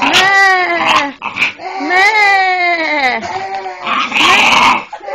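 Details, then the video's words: A female pet dog, acting strangely, gives a run of drawn-out, wavering, sheep-like vocalisations: about four harmonic calls that fall in pitch, each one to one and a half seconds long, with short gaps between them. "my dog making sheep noises"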